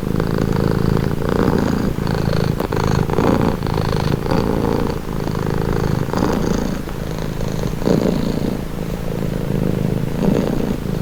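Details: Continuous low, rough rumble of a purring cat, pulsing through repeated inhale–exhale cycles roughly every second or so across the whole stretch, with faint clicks and soft higher hiss riding on top.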